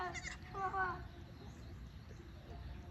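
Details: Goat on a farm where two goats have just given birth, with a kid two days old. A single wavering, nasal bleat fills the first second, then fades to quiet background with low murmuring voices.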